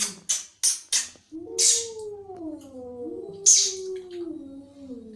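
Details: Angry cat spitting several quick, harsh hisses, followed by a low, sliding growl-yowl broken by one more sharp hiss.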